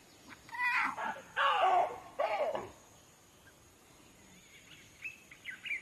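A young lion lets out three hoarse, strained roars in quick succession, higher and thinner than an adult's. Quieter chirping and background rustle follow after the calls fade.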